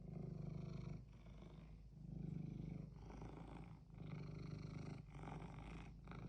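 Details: Pet cat that clearly wants something purring steadily, a low rumbling throb swelling and dipping with each breath about once a second, six cycles with short quiet gaps between.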